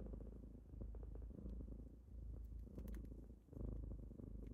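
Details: Kittens rumble through a deep, even purr while waking their owner in the morning, the sound swelling and fading in breaths, a brief dip near the end, light scratchy taps above.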